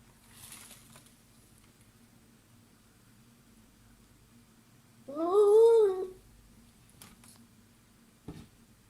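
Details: Domestic cat giving a single rising-then-falling meow about one second long, set in otherwise quiet indoor surroundings with a couple of faint clicks afterward.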